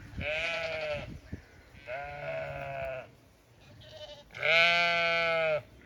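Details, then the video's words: Several bleats from Zwartbles sheep kept on a small regenerative farm in County Kilkenny, Ireland, each about a second long, rich and quavering, the last one loudest, with a brief higher chirp in between. "Some sights & sounds of farm life. Dogs, cats, sheep & alpaca"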